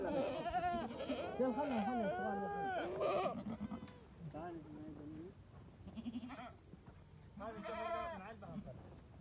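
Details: Bishi goats in a herd of 82 with 40 kids and 3 bucks, offered for sale at Dawqa: several animals bleat in overlapping, wavering, nasal calls, some long and arching, others short, with gaps and a few human voices.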